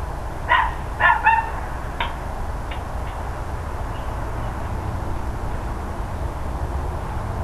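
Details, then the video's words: Neighbours' dogs on the morning of 13 October 2012: a few loud barks in quick succession at the start, fading to fainter distant barks, then only low hum. "Barking Dogs Loud Neighbors"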